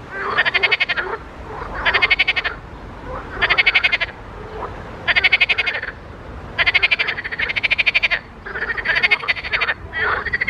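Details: Frogs in a pond give loud, buzzy, pulsed croaks, each burst about half a second to a second long, coming in clusters with short pauses between them.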